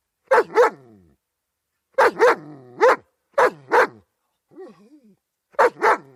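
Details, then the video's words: {'text': 'Paired, forceful barks from a German Shepherd dog, repeated about every second or two, with a low whining murmur before the final pair.'} "German Shepherd Dog Barking Sound Effect"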